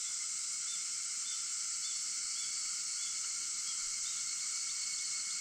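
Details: Cicada voices at dawn on August 4, 4:50 a.m., a steady sizzling high chorus with level whining tones and soft little chirps recurring about every half second.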